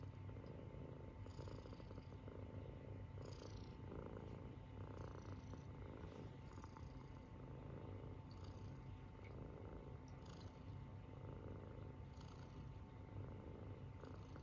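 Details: Sleeping Munchkin kitten snoring, a low steady rumble throughout with soft airy wheezes roughly every two seconds as it breathes, no other sounds.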